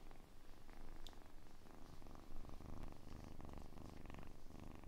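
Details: Close-miked kitten purr made for ASMR relaxation, a continuous low vibrating rumble of quick regular pulses with gentle swells in volume.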